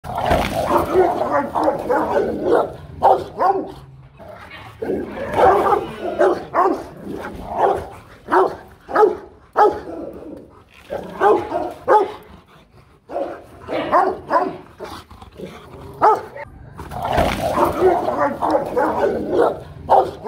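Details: Rottweiler guard dogs barking powerfully in dense overlapping bursts, deep rough barks packed almost without pause for twenty seconds, with brief quieter gaps near five and thirteen seconds.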